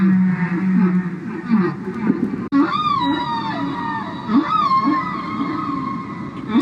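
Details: A humpback whale sings long, moaning tones that swoop down and curl back up, each unit repeating in rhythm; a recording made by the Paynes, song that only male humpbacks sing.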